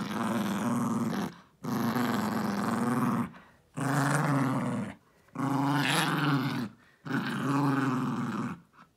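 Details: Jiffy the dog savaging a stuffed elephant toy in his evening ritual after dinner: five sustained, harsh, low growls, each about one to one and a half seconds long, separated by brief silent breaths.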